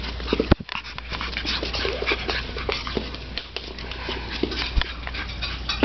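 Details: Three pet Chihuahuas playing and chasing each other around a living room indoors; steady breathy panting with scrabbling, scratchy bursts from running paws and a few sharp knocks, no voices.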